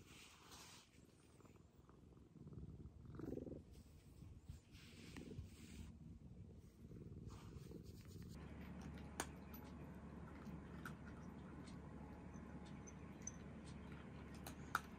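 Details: Long stretch of purring from the rescued domestic cat Maroshiro, kept indoors in an upstairs room and craving attention like a kitten; an uneven rumble early on becomes a steadier low drone, with occasional sharp clicks.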